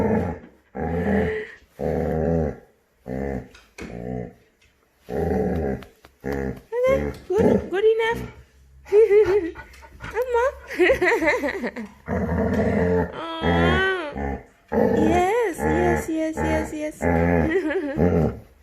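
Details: A male Labrador puppy, normally quiet, gives odd drawn-out moans each morning on waking, rising and falling and almost mooing like a cow, broken by short grumbles and wavering, whiny yowls indoors, in bursts about every second.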